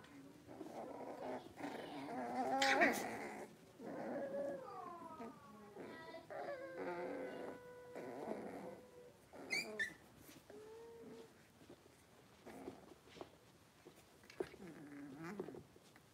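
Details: Blenheim Cavalier King Charles Spaniel puppies, a litter of five born on New Year's to Paris and Spike, moved indoors into a big pen; high tonal whines bend up and down, broken by short yips and thin squeals, with faint speech.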